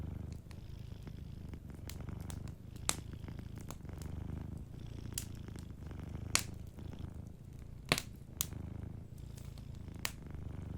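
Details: Gentle purring of a sleeping cat, a quiet low rumble cycling with its breathing, beneath frequent loud pops and crackles from a cozy fireplace.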